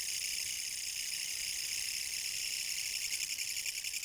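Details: Autumn kutsuwamushi (Mecopoda katydid) song recorded in 2014, a harsh high-pitched buzzing that runs without pause, its pulsing rhythm less even here and swelling slightly toward the end.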